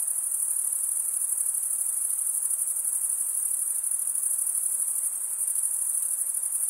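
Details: Chirping crickets, usually males, stridulate with their wings to produce a steady, high, shimmering trill. It continues without gaps and is heard alone, with only a slight softening near the end.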